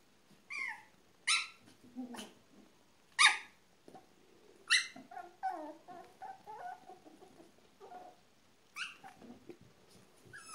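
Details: Apricot AKC Miniature Poodle litter born March 3, 2015, with their father Rudy: sharp high yelps and squeals in quick bursts over the first five seconds, then softer wavering whimpers and squeaks, and a few more yips near the end.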